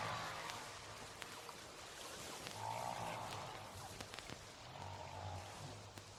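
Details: Humpback whale song from the recording carried aboard a Voyager spacecraft into outer space: faint sustained moaning tones and low droning units under a steady hiss, with brief clicks scattered throughout.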